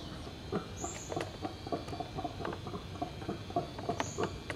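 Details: Backyard howler monkeys (Alouatta, called bugios) give rapid rasping pulses in an uneven rhythm. Brief high bird chirps sound twice in the background.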